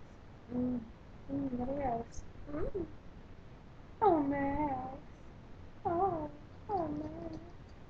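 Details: Indoors, Max the Pomeranian answers the owner's calls of his name with a series of short, wavering cries, some rising and falling, with gaps of room noise between them.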